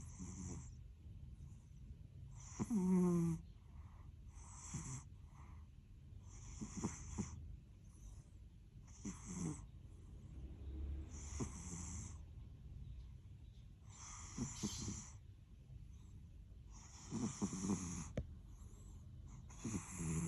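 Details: A sleeping cat snoring: soft, wheezy breaths repeated every couple of seconds, each with a faint hiss on top, plus a few short squeaky nasal whistles and low rustles.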